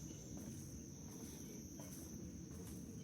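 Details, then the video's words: Insects drone in a steady, high, unbroken single-pitch whine over low wind, early morning before full sunrise at about 80°F on June 7, 2025, on a Black Bear Wilderness Area trail in Central Florida. "You can hear the bugs."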